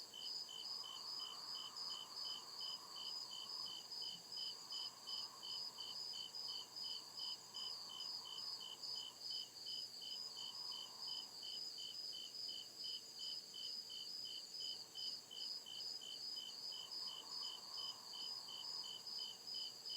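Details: Real crickets in a nighttime deep-woods forest: a long run of regular, rapid high chirps, roughly two or three each second, over a constant ringing trill, with a softer low hum rising and fading in the background.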